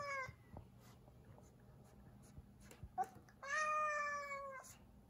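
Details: Zefir, a pet cat, indoors in a kitchen, not in the mood and blocking the way: a short harmonic wail at the start, then a sustained flat-pitched yowl of about one second near the end, with faint knocks between.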